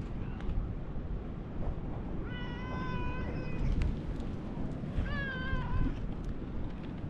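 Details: Lion-like orange tabby cat greeting visitors at a fishing port in Japan: two drawn-out, tonal meows, the first steady and the second wavering and bending downward, over a constant low rumble of wind and engine noise.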